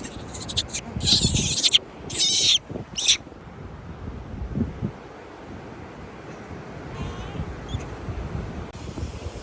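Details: Pet monkey raised by a family, frightened on meeting crabs at the beach, gives shrill, harsh screeching bursts around one to three seconds, then quieter background with surf-like noise.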